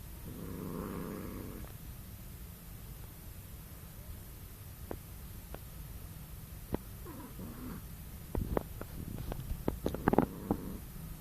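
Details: A cat utters a low, wavering, harmonic moan for under two seconds, then a brief softer murmur, followed by scattered clicks and rustling handling noises.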